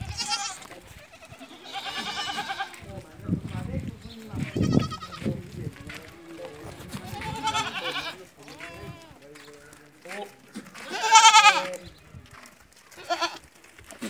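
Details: Barbari and Sojat does on a goat farm in Ajmer, Rajasthan, each having kidded once or twice: several short, vibrating bleats scattered among human voices and handling noises, the loudest bleat near the end.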